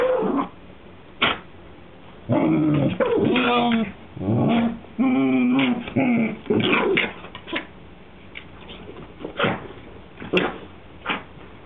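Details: Whippet Maisey, a female dog, almost begging her sister Poppy to play: long, wavering growly whines in several drawn-out bursts of a second or so, shifting in pitch, with scattered sharp knocks and scuffles between them.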